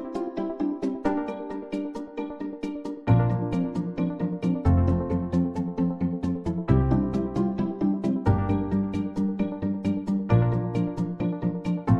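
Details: Rhythmic keyboard music with repeated plucked notes and shifting low chords, with no animal sounds.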